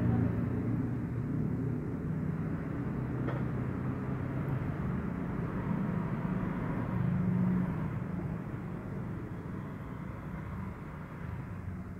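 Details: Continuous low rumble of passing traffic outdoors, deep and steady throughout, with faint background murmur.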